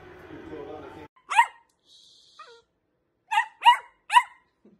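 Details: Dachshund, a pet wiener dog, barking: after a short stretch of speech, one sharp bark, then a pause and three quick high barks close together near the end, with bright harmonic yips.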